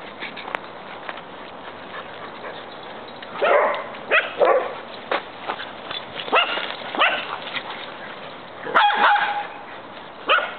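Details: Big and little dogs at play, giving scattered harsh barks and yips in short broadband bursts, one pair clustered near the middle and another toward the end, while a person chants and talks nearby.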